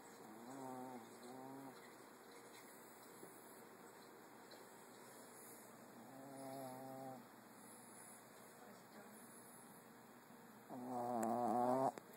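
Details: A female Boston Terrier snores in slow, droning, wavering breaths spaced several seconds apart, frightening a Golden Retriever.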